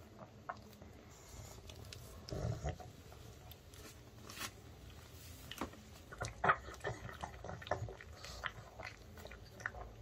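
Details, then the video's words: Indoor male pug chewing homemade chicken coated in rice flour and pumpkin or paprika batter. Soft crunching and munching continue throughout, growing denser and busier in the second half, with a low snuffle early on. "Pug Puppies Eating Sounds Mukbang"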